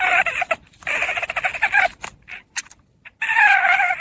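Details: Hungry puppy whining: bursts of high, nasal, wavering whimpers broken by short pauses and a few sharp clicks, ending in a longer, louder whine.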